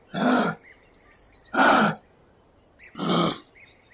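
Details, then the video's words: Kangaroo from the Australian wild giving three harsh, breathy grunting bursts about 1.5 seconds apart, each short and noisy with a low rough base, while thin whistled bird notes sound faintly behind. "Gerçek Kanguru Sesleri"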